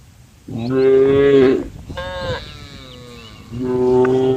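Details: A female cow from a tame group on a road calling the herd: three strong, sustained moos, the middle one fainter and from farther off, the others deep and steady.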